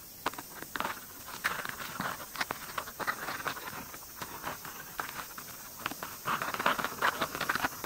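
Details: Close-up recording of white-spotted longhorn beetles during mating, full of quick scratchy clicks and rasping taps in uneven bursts, roughly two or three a second, over a soft constant hiss.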